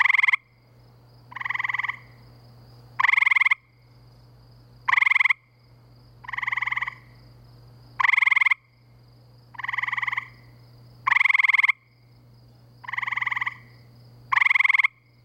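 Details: Several gray treefrogs near a pool by Framingham's woods and wetlands on a spring night give loud, rapid, buzzy trills like amplified crickets, short bursts traded back and forth about every one to two seconds, with a faint steady hum underneath.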